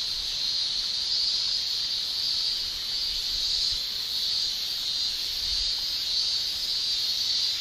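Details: Continuous tymbal song of male Japanese cicadas during a Japanese summer, a piercing high buzz with slow pulsing swells, sustained without pause, a faint low bump near the end.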